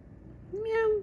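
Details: Pet cat Pumi indoors, being given milk, gives one clear meow about half a second long, a steady tone that sags slightly at the end, with quiet room noise before it.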